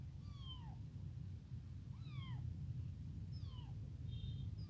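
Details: Newly abandoned tiny kitten calling for its mother and hungry for milk, giving four high, thin, falling meows in quick succession, roughly one per second, above constant low rumble.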